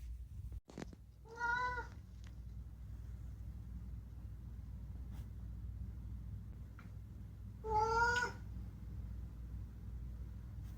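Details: Unagi, a talkative rescued pet cat at home, meows twice with clear harmonic, slightly wavering calls about six seconds apart, each under a second long, against a quiet indoor low hum.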